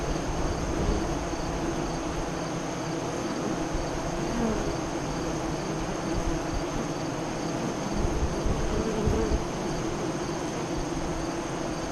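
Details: Honey bees at the entrance of a west-facing hive five miles east of Lyons, Nebraska, during the 2017 solar eclipse, around 2:48 to 3:00 CDT: a steady, dense low hum of many bees, continuous throughout with no breaks.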